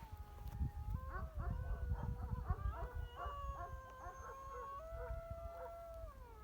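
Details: Several gray wolves howl together in long, wavering tones that step up and down over a low rumble. They are heard at first faint and very distant, then closer, during a wolf watch in Turkey while guarding Kangal dogs grow tense.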